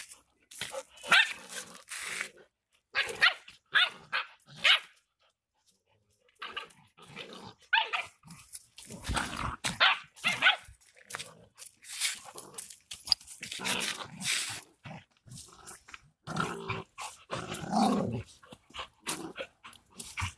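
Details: Rottweilers fighting: harsh, noisy barks and growling snarls come in irregular bursts separated by short silences, with scuffling throughout.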